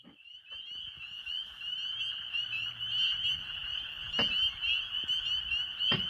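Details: Spring peepers call en masse in a steady chorus of shrill, high whistled peeps blending into one ringing band, with faint low duck-like clucks of wood frogs beneath, in spring in Maine.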